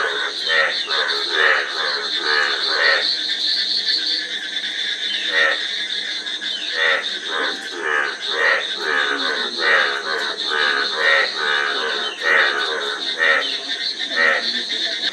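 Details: Frogs croaking in a dense, overlapping chorus: harsh, pulsed croaks tumble over one another with little pause, and a steady high hiss and a low hum run underneath throughout.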